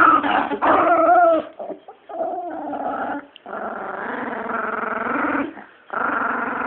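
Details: Growling from Bee, a female chihuahua protecting her bone indoors: rough snarls with whining, wavering tones at first, then a steady prolonged growl broken by a brief pause before resuming.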